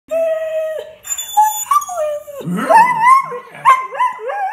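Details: Rescued pet greyhound living with a family howling: long sustained tones that slide and waver, rising into warbling, yodelling notes midway with harmonics stacked above, continuous over several seconds.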